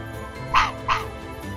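An Arctic fox gives two short, hoarse barks about a third of a second apart over a low background hum.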